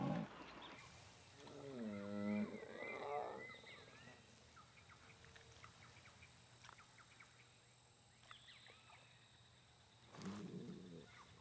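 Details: A female jaguar in the Pantanal forest of Brazil gives deep, throaty, repeated grunting calls to draw a male to her.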